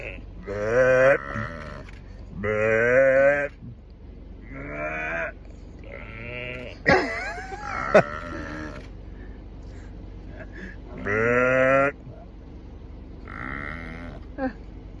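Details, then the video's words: Bighorn sheep bleating at Lake Minnewanka, Banff, trading calls with a person: around seven strong, wavering, harmonic bleats of roughly a second each, steadily repeated with short pauses, plus a few clicks and rustles between them. "Bighorn Sheep and I having a conversation"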